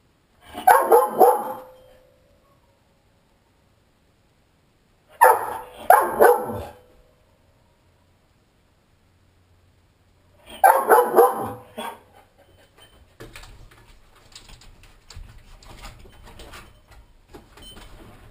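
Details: Giant Schnauzer home alone, aggravated and trying to get out through a sliding glass door: three clusters of harsh, repeated barks about five seconds apart, then scraping and rattling noises.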